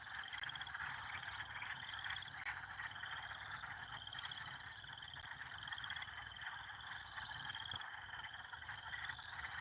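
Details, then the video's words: Frog chorus in the evening by a beaver pond on a farm, growing louder each day over the past week: dense continuous trilling with a steady high pulsed band and a broad mid-pitched wash of overlapping calls, a few faint clicks. "Let's listen to the frogs, guys. There's something"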